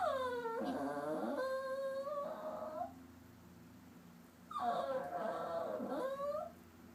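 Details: Upset and sulking indoors, Popcorn the papillon mix dog gives two nasal whines, each opening with a high downward slide, then wavering, separated by roughly a second and a half of quiet.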